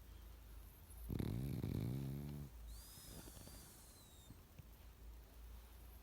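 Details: Sleeping pug giving one loud, buzzy, rattling snore lasting over a second, followed by a thin rising-and-falling whistle through the nose and then soft, quiet breathing.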